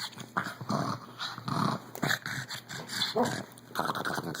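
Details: A 14-year-old pug, still liking to play-fight, making odd noises: rough snorting growls and grunts in uneven bursts, about one a second, each a short noisy blast with some whiny edges, in a small indoor space.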